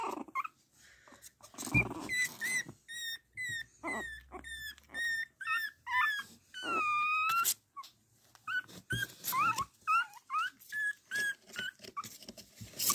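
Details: Chihuahua puppies, male, from a champion sire, in Crimea: a long series of high whistled whimpers and squeals, many rising then falling, repeated roughly twice a second with short gaps, some longer wavering whines; soft music in the background.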